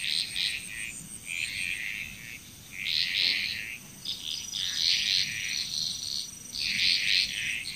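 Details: Chorus of frogs in Bali, Indonesia, heard as clustered bursts of bright croaking that start and stop in waves with brief quieter gaps, over a steady background insect drone.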